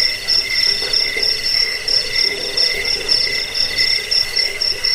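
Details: Cricket chirps to scare away rats, help sleep and school songbirds: sharp high chirps about three per second ringing above a softer, steady lower trill, forming a busy insect chorus.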